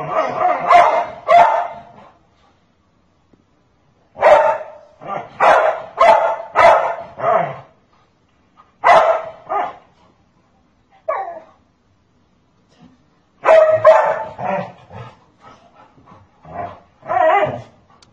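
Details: Dog defending a child against his scolding mother, barking in rapid bursts of three to five loud barks separated by short pauses, with a woman's raised Turkish voice mixed in.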